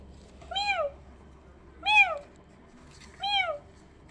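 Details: Kittens hearing a meow like their own: three high, bright, rising-then-falling meows, evenly spaced about every 1.3 seconds, over a quiet, low hum.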